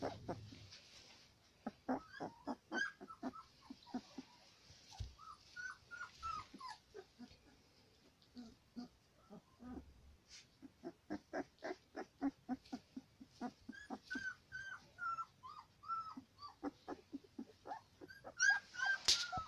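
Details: Female Central Asian Shepherd puppy number four, from aboriginal dogs taken from flocks in Tajikistan, in a character test: long run of rapid high whines and yips, some falling whistled whimpers, with steady hiss behind.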